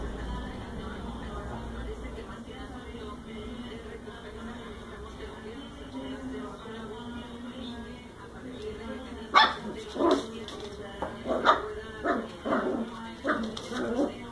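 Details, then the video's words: Cocker spaniel puppy barking at a ball it has just met. People talk at first, then a run of short, sharp, yappy barks comes roughly every half second through the last five seconds. "Puppy cocker spaniel barks at new friend: A ball!"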